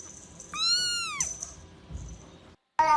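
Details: Kitten giving one clear high meow that holds level and then drops sharply at the end, followed by quiet background noise and a brief burst of another sound.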